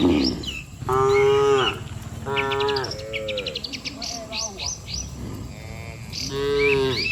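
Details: Cattle, dozens standing in orderly rows on a road, mooing to call the herd home to the barn. Four or five drawn-out, rich lowing calls follow each other closely. Bird chirps flicker high above.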